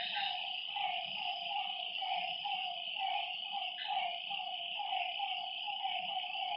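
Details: Lakeside frogs after dark giving evenly spaced, slightly rising croaks about every half second, backed by a steady high-pitched drone of night insects.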